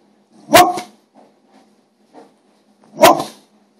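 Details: A pet dog barks indoors, wanting food from the plates on the table. Two loud, sharp single barks come about two and a half seconds apart, with faint small rustles in the quiet between.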